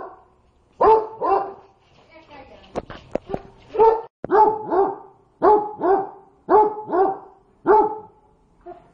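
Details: Pet dog barking at hot food that it cannot cool down: short, sharp barks, often in pairs, repeated roughly every second, with a brief burst of human speech between them.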